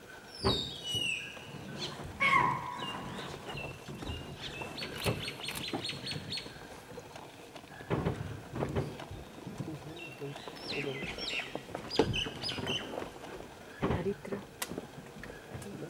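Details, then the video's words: A chital (spotted deer) gives sharp, shrill alarm barks at full stretch, repeated every few seconds over chirping birds, in Kabini National Park; a male leopard emerged from the bushes about 10 minutes later. "Spotted deer alarm call - Close and upfront (Kabini National Park)"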